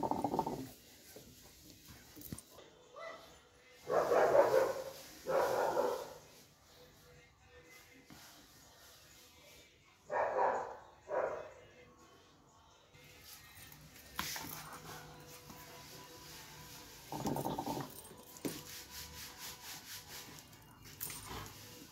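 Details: Doberman Pinscher barking in separated bursts, a double bark early on, another pair around ten seconds and a single one later, with people talking and a little background music between the barks.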